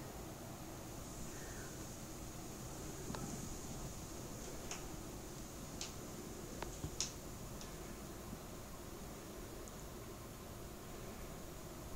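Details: Faint steady fan-like hiss fills a quiet room, with a few soft ticks and clicks and no clear animal voice.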